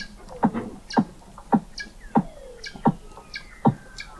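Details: Weddell seals recorded in November 2017 by an underwater observatory 21 m beneath sea ice in McMurdo Sound, Antarctica: short knocking chirps repeated roughly every half second, with a faint downward whistle crossing in between.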